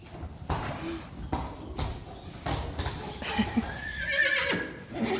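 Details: Friesian horses in a herd that includes Reintje and Uniek, filmed June 1, 2019; a neigh with harmonic bands rises and falls toward the end, after repeated hoof thuds and clip-clop, with some voices nearby.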